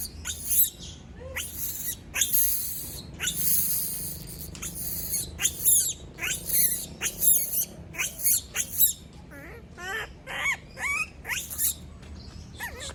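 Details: A female monkey, left on her own, cries out in shrill, piercing screams delivered in quick bursts. Longer drawn-out shrieks come early, then clusters of short rising squeals and wavering notes toward the end.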